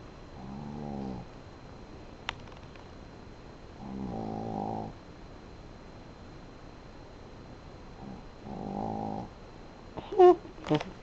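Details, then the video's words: Sleeping female dog snoring indoors: three drawn-out, rasping snores about four seconds apart, each roughly a second long with a rough buzzing tone, in a quiet room, followed by a couple of sharp clicks near the end. "Snoring dog"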